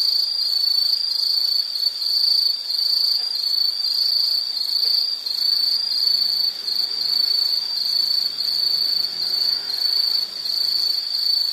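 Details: Continuous shrill insect chorus with a single sustained high band, pulsing gently in loudness over eleven seconds, with faint higher overtones and no other distinct sounds.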